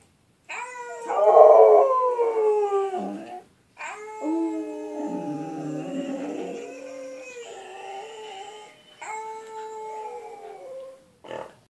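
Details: Pet dog Mouse Wang howling in several drawn-out phrases separated by short pauses, tones gliding and wavering, one phrase dropping into a lower, rougher moan midway.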